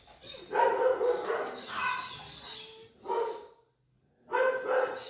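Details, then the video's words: Xena, a Rottweiler, wanting to play: a run of harsh, noisy barks in three bursts, the first long and clustered, a second short burst near three seconds, a brief silence, then a final double bark. "Xena querendo brincar"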